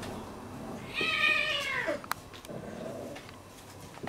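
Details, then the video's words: Domestic cats in a real fight: one drawn-out, wavering, harmonic yowl lasting about a second, bending downward at its end. A sharp click and faint rustling follow in an indoor space. "Real Cat Fighting / Cat fight"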